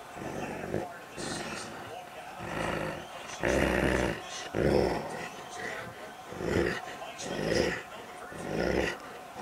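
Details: Doberman named Charger fighting over his rawhide toy while playing, giving deep rumbling growls in roughly once-a-second pulses, some rising into rough roaring bursts, with a person's voice in the background.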